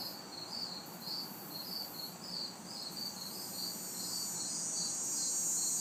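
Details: Crickets and cicadas on a hot, humid summer night in a city backyard: high pulsed chirps repeated roughly twice a second over a steady hiss, with a harsher cicada-like buzz on top and faint distant traffic.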